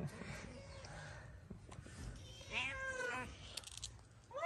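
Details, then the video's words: Stray cat in Morocco, a big-nosed cat being harassed by another ginger cat; short rising-falling meows mid-clip amid street noise and a man talking quietly. "The big-nosed cat is being harassed by Ginger the cat"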